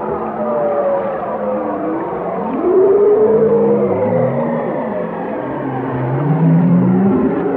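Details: Whale song: several overlapping tonal moans sweeping up and down between low and mid pitch, one long rising whistle-like note near the middle and a short upward swoop at the end, over a steady underwater hiss.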